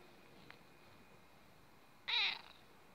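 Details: Persistent cat Notka insisting on breakfast with a single short, bright meow near the end after quiet room tone, with a faint click early on.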